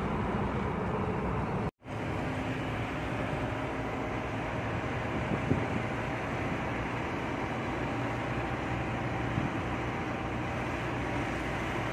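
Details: Steady broadband rumble like engine or vehicle noise fills the recording, broken by one brief silent dropout near two seconds; no animal voice is heard.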